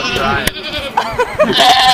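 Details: Goat bleating: shaky, nasal, wavering cries with stacked harmonics, a few short notes rising and falling within two seconds, ending in a higher, drawn-out bleat.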